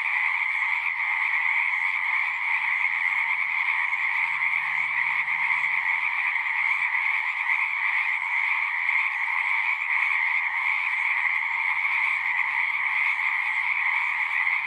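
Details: A long stretch of natural frog chorus: many frogs calling at once in a seamless, buzzy, high-pitched trill over a lower companion tone, loudness flat and continuous, faint low murmurs in the background early on.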